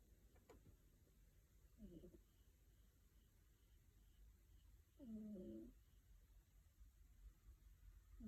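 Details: Five-month-old female kitten named Rincharo snoring while asleep indoors; soft, low rasping snores, two short breaths about three seconds apart, in a quiet room.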